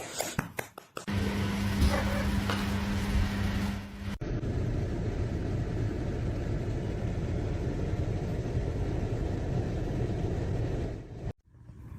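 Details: A loud, steady engine-like rumble with low hum and a clattering start fills the whole stretch, with no animal voice to be heard.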